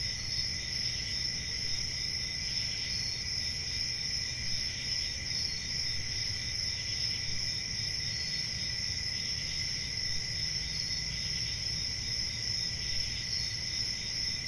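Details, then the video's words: Summer night chorus of crickets in the countryside: continuous high ringing trills layered together, gentle pulses of extra chirping drifting in and out, and a faint low rumble underneath. "Relaxing Cricket Sounds For Sleeping | Ambient Summer Night Sounds"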